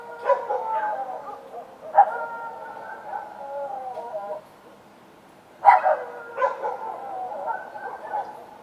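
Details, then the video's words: Street dogs at night give sharp barks that slide into drawn-out, wavering howls, in two bursts with a short quiet gap. "Dogs Barking at Night - Sound Effect for Sleeping"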